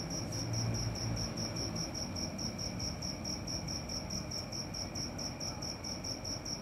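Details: Cricket at night giving a steady run of short, high, ringing pulses, about four a second, over a low rumbling background hum.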